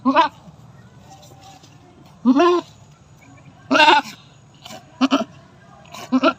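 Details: Domestic goat bleating while giving birth for the fifth time: harsh, quavering nasal cries in uneven bursts, six or so calls, some long and strained, others short and doubled, over a faint steady background hum.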